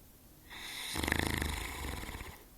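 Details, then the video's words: Sleeping Saint Bernard named Larry gives a single long, rasping snore with a fast fluttering rattle at its peak, rough and low, easing gradually into silence. "Larry the Saint Bernard snoring like a champ"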